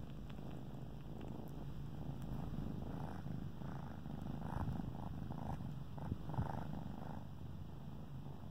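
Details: Kittens suckling on their favorite blanket while purring; a quiet, continuous low rumbling purr throughout, with faint soft suckling and rustling sounds.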